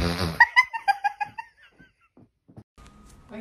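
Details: Pet cat giving a rapid run of six or seven short, bright chirping calls that drop slightly in pitch, followed by quiet rustling and a faint steady tone.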